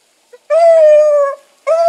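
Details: Dog pups in training, with Sassy and Magnum trained alongside Ringo and Boone, giving a steady, clear, mid-pitched howl held for nearly a second, breaking off, then starting again briefly at the end.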